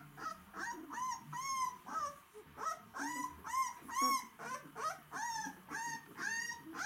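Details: Several White Swiss Shepherd dogs, the plumpest said to be the hungriest, whining in high, rising-then-falling drawn-out tones, repeated roughly twice a second in a steady chorus.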